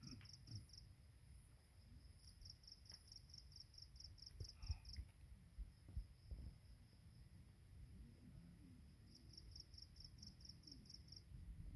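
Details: Insects on a dawn mountain path at Penang Hill (Pearl Hill) give high, thin, evenly pulsed chirps in bursts of a few seconds with pauses, over a deep rumble of wind and footsteps.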